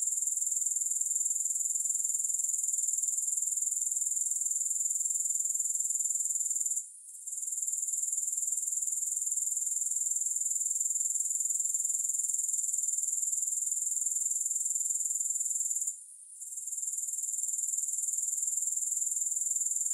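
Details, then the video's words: Grasshoppers chirring without music, recorded for sleep and focus: a continuous thin, piercing buzz high in pitch, rapidly pulsed, with two brief quiet gaps where the sound fades and then returns. "3 Hours of Grass Hopper Sounds"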